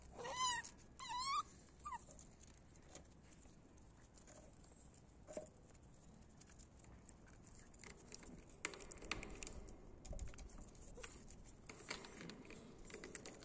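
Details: Male puppies from a litter; two loud, high, wavering whines open the recording, followed by quieter rustling, shuffling and faint soft whimpers for the rest.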